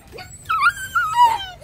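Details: A 2.5-month-old female brindle Phu Quoc Ridgeback puppy, friendly, gives two quick, high, tonal whines, each sliding down in pitch, with a soft low rumble behind them.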